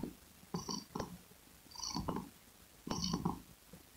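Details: Domestic cat purr recorded up close, short buzzy rumbling bursts in breath-paced pulses, a few within four seconds, with some crackling texture.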